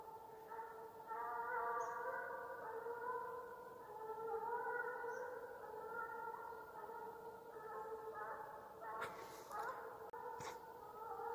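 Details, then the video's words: Russian hound baying on the hunt chase (gon) in Ivanovo region, its farewell song: sustained, wavering voiced howls that run on steadily, then a few sharp knocks and rustles near the end. "прощальная песня гона🎵русская гончая"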